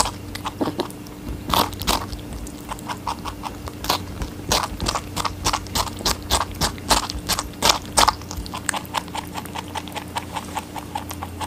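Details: Rabbit eating watermelon, brisk crunchy bites and juicy chewing at roughly three per second, sharp and close, over a faint steady hum.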